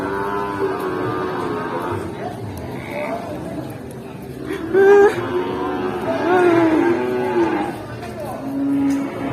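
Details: A rampaging cow running toward a stall, with goats nearby also agitated. Low drawn-out lowing opens the recording, then wavering calls, over people's voices and background noise.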